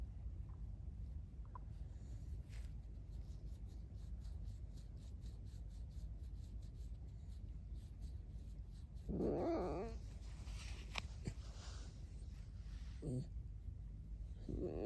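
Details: Alice, a pet red fox, gives loud squeaky, wavering cries around nine seconds in, then two shorter squeaks near the end, after a stretch of quiet rapid ticking in a small room.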